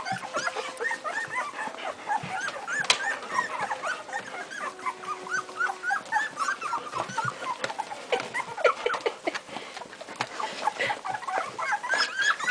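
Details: A litter of Strongbow puppies two weeks old, a chorus of high whimpers and squeaks overlapping rapidly, many thin rising and falling cries stacked together, with a person's voice briefly heard.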